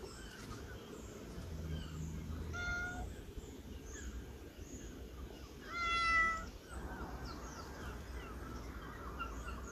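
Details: Cat waiting in line meows twice over a hissy, rumbling background: a soft, faint first meow near three seconds, then a louder, clearer, slightly rising meow around six seconds.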